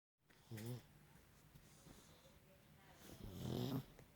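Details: Sleeping pug snoring: two low, rough, throaty snores with a rattling harmonic quality, one short near the start and a longer one about three seconds later, with soft breathing between them in a quiet room.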